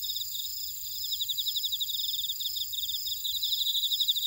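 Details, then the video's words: Insects singing in a buckwheat field in Ora-dong on Jeju Island, South Korea: crisp, closely spaced chirps about four per second, pulsing over a bright continuous high hum. "제주 메밀밭의 풀벌레 소리 (Sound of a buckwheat field)"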